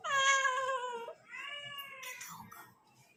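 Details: Kitten talking: a loud, long meow holding steady then dropping slightly, followed by a softer rising-falling meow ending in a brief breathy sound.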